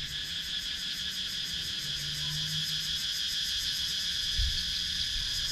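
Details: In the wooded countryside of Sakon Nakhon, Thailand, cicadas keep up a continuous high-pitched buzzing chorus with rapid rhythmic pulsing. A faint low hum runs underneath and a soft knock is heard near the end. Recorded on an action camera.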